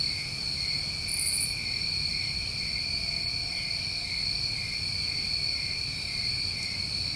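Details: Crickets on a New England summer night, a dense unbroken chorus of steady high trilling in two pitch bands, with one brief higher buzz near the start over a low background rumble.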